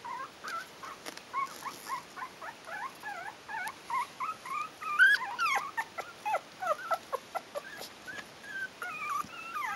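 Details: Stellar Garden kennel's four-week-old Yorkshire terrier puppies, litter "A", squeal and whine loudly in a busy overlapping chorus, quick rising and falling yelps with a few clicks and rustles among them.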